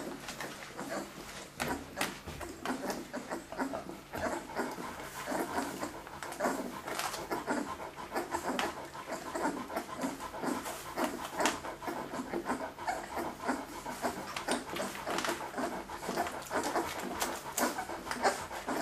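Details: Leonberger puppies of the F litter from Gréti and Bayron at the Löwe von Blumengarten kennel in Hungary, October 2011, indoors; rapid, breathy panting bursts overlap continuously with scattered small whimpery sounds and rustling.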